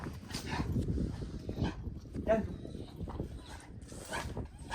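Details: Dog barking while two dogs named Duman and Pani get used to each other, Duman tied on a chain; short sharp barks about five times in under five seconds, overlapped by people talking outdoors.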